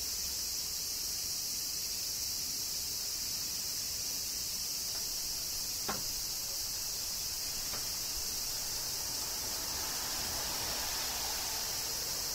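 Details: Summer cicada chorus in Kyoto, Japan, with rain: a continuous hissing, high shrill wall of sound without pauses, crossed by a sharp tick near the middle and a softer tap shortly after.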